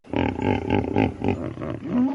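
A hippopotamus gives a quick run of deep, throaty grunts, about four per second, rough and resonant, ending in a longer rumbling honk.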